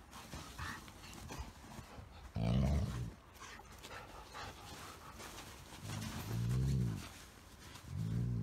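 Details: Golden Retriever playing with a smaller Chihuahua–Shih Tzu mix indoors, giving three short, deep grumbling growls spaced several seconds apart, with panting, breathing and rustling noises in between.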